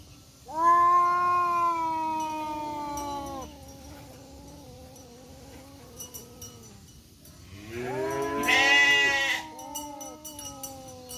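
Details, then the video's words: Two male village cats, one black and one striped, fighting in a forest, trading nonstop growls: a long drawn-out harmonic yowl of about three seconds, a pause of low grumbling, then a rising, wavering second yowl answered by another. "KUCING MEONG MEONG BERANTEM ADU GERAMAN TANPA HENTI DI HUTAN"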